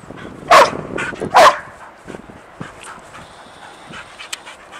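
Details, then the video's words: Excited by an unseen squirrel, Sadie the dog lets out two quick, loud barks less than a second apart, followed by quieter whimpering and scattered soft ticks and rustles. "Sadie Gets Excited and Jumpy for an Unseen Squirrel"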